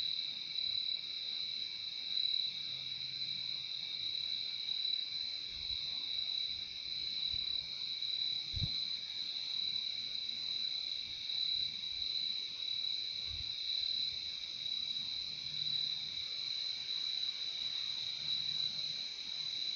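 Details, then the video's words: Crickets keep up a steady, piercing high trill throughout, layered with a quieter lower tone; a few soft low thumps break in briefly near the middle. "Relaxing sound of crickets"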